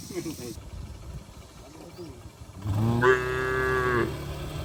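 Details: Cattle driven home in a heavy rainstorm, heading for their stable in the village. Scattered low noises first, then one long, level moo lasting over a second.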